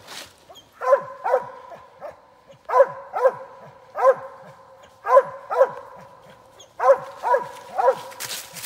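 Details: Squirrel-hunting dog Rockin KK's Big Time Tank outdoors, telling on an MS gray squirrel: loud, ringing barks in quick pairs and triplets, each sharply falling, about fourteen barks in under nine seconds with short pauses between bursts.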